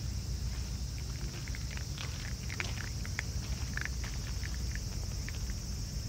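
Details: Crunching from a raccoon dog family eating together: scattered brittle clicks cluster in the middle seconds, quick and uneven, above a steady low background hum.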